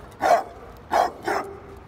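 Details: Bruno, a Mastiff with a shelter background who is aggressive towards other dogs, barks during a training session. Three rough, hoarse barks come within two seconds, the last one shorter, over low background noise.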